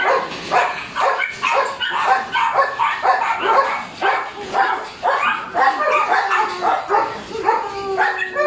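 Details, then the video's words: Three-month-old Border Collie puppy during drive-building play: rapid, high yappy barks and yips, roughly two per second, uneven and excited, with brief whining between bursts. "Border Collie 3 months old puppy building drive"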